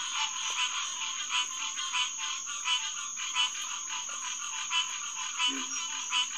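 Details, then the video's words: Hyla cinerea, green tree frogs calling in chorus after dark at Headquarters Pond, SMNWR, June 2, 2021, 9:10 pm; louder calls pulse out of the dense background roughly every two-thirds of a second, with a low grunt near the end. "Green Tree Frog Chorus"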